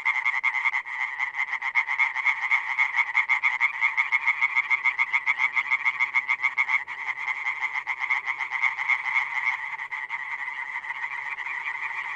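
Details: Many European tree frogs (Hyla arborea) call in the wild in a fast, rattling chorus of harsh, clipped notes that hardly pause.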